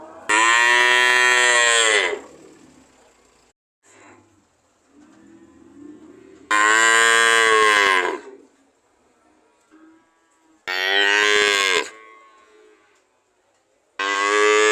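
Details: Cow. Four loud, rich moos from a cow ring out, each held for one to two seconds and slightly falling at the end. Between the calls there is only faint rustling and quiet background.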